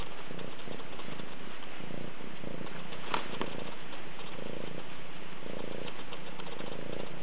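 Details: Rescue cat recorded close up, purring steadily; low rumbling pulses swell and fade about once per second, with a faint soft click midway.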